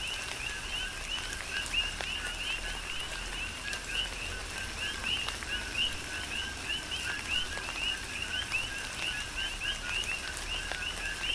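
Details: On Hawaii's Big Island, coqui frogs keep up a steady chorus during rain, each call a short low note snapping up to a higher chirp, many voices overlapping amid soft continuous rain and dripping.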